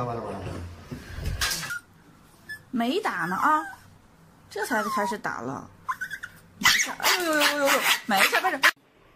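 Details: Dog crying and whining while being taken for an injection; drawn-out, wavering, high-pitched cries in bursts about every two seconds, with a person speaking at the start.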